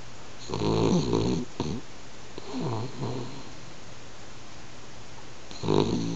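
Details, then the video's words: Pet French Bulldog asleep and snoring, getting gradually louder: a run of raspy, buzzing low snores with wavering pitch, then a pause of soft breathing before another loud snort near the end. "いびきする犬 フレンチブルドッグ"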